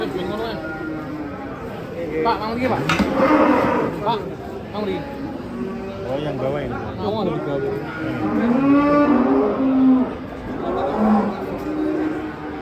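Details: Masked cow raging while being unloaded from a truck in Indonesia: repeated hoarse, wavering moos among bangs and clatter, with a clear bellow around the ninth second and people talking throughout.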